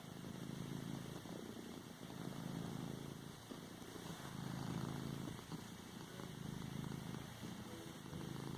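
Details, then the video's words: Domestic cat purring while kneading a pillow: a steady low rumbling purr with rhythmic swells about every second and a half, continuous throughout. "Cat padding a pillow , purring and a sneeze at end"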